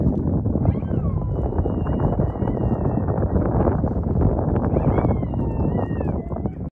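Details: Coyotes, not too far off, give long, wavering high howls that slide up and down over a steady rumble of wind during an ice storm.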